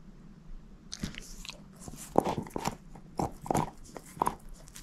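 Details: A bone crunched by Moose, a shepherd mix dog: after a near-silent start, firm cracking bites and grinding chews follow one another roughly every half second.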